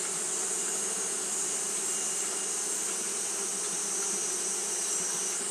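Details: Steady droning buzz from Japanese honey bees fanning on a hot day, low and unwavering, with an intense continuous high hiss running over the whole stretch.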